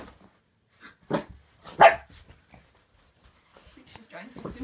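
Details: Boxer puppy Layla barking indoors at her new squeaky toy, suspicious of it: two loud sharp barks close together, then quieter sounds and a woman's voice talking to her.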